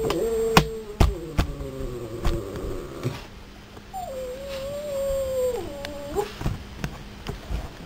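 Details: Roan, a very vocal English Springer Spaniel, talking to his owners indoors: drawn-out whiny, wavering moans that slide up and down in pitch, with a steady low hum and occasional knocks in the room.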